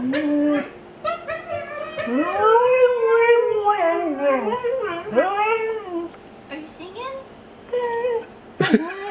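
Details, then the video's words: Indoor pet Siberian Husky vocalising while watching dog videos: wavering, bending howl-like "talking" notes that rise and fall repeatedly, with short breaks between phrases and a sharp yelp near the end. "NORA THE HUSKY HOWLS"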